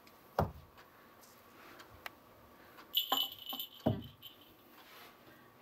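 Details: Sharp knocks and clinks of balls dropping onto a hard floor in a quiet room, with a brief ringing tone, and no animal voice.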